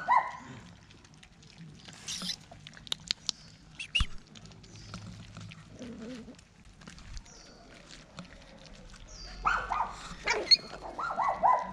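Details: Poodle delivering a litter of seven same-coloured puppies: thin, tonal whimpers at the start and a cluster of short, wavering squeals near the end, with scattered clicks and rustling in between.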